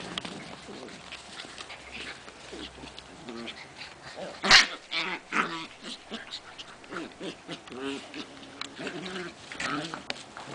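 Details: Mudi puppies seven weeks old at play give repeated short, tonal yips and whiny squeals in quick bursts, with a sharp knock midway and soft human voices in the background.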